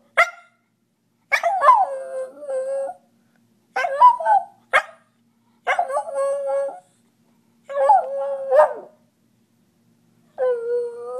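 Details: A 10-year-old male Miniature Schnauzer howls in wavering, drawn-out bursts separated by brief pauses; owner is unsure whether he is howling or singing.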